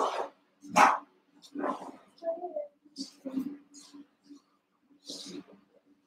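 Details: Cavalier King Charles Spaniel puppies with Ruby and Blenheim coats, born 06/09/2022, three littermates Cooper, Conner and Jenny watched overnight on a puppy cam; short sharp yelps and barks, a thin wavering whine midway, steady low hum throughout.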